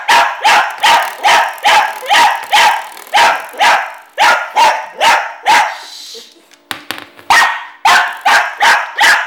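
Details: Pet dog barking at a door stopper spring it hates, a fast steady run of sharp loud barks about two or three per second, broken briefly by the twanging boing of the spring before the barking resumes.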